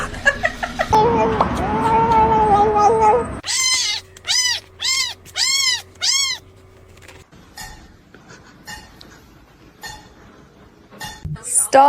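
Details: Kitten meowing: after a loud, jumbled passage of mixed noise, five clear arched, rising-then-falling meows follow in quick succession, then quiet with faint background hum and a brief sharp sound at the end.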